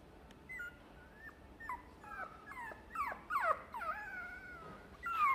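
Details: Chihuahua whining persistently, a run of high, bending whimpers that rise and fall, growing louder and more frequent toward the middle and ending on a drawn-out plaintive whine, in a quiet indoor space.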